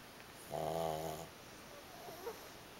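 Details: Two pugs sleeping pressed against each other, one of them snoring: a single rasping, harmonic snore lasting under a second in a quiet indoor room.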